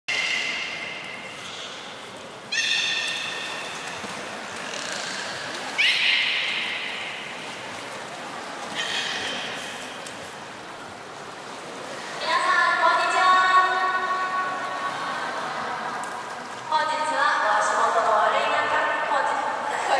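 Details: Beluga at a public training session, Port of Nagoya Public Aquarium, 4 November 2018, 16:00 show. Bursts of nasal, harmonic, whinny-like calls, each two to four seconds long, come one after another with short gaps.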